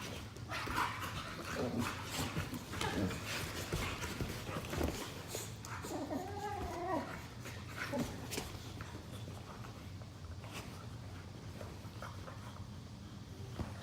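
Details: Two pet Boxer dogs play-fighting lazily on a couch indoors after chasing each other; soft growls and a brief wavering whine near the middle, over steady low rumbling and rustling.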